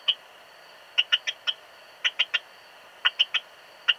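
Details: Modicogryllus frontalis, the Eastern Stripe-headed Cricket, recorded in Puntigam, Austria, 10 June 2022, giving quick chirps of two to three crisp clicking pulses, grouped in bursts roughly every second, against low steady hiss.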